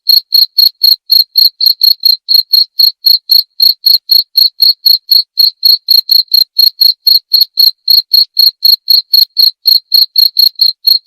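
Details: Continuous high-pitched cricket calling, short shrill chirps repeated about four times a second at an even pace, with a faint shimmering overtone above; nothing else audible.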